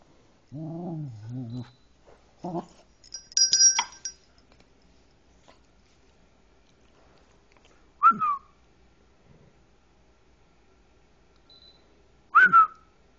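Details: A one-year-old female silver buff cocker spaniel, who hates bells, gives brief high, falling whines after a bell jingles, with a person speaking.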